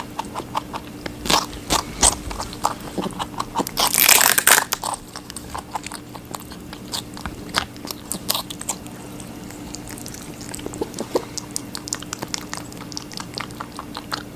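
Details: Rabbit biting and munching watermelon: sharp, dry crunches and wet chewing ticks in rapid bursts, one loud crackling bite near four seconds, then lighter nibbling with a low steady hum behind.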